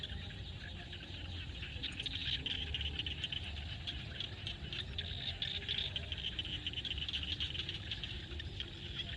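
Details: Frogs calling at sunset in a field in Cambodia: a dense, shimmering chorus of rapid high-pitched pulses that swells and fades, over a constant low rumble.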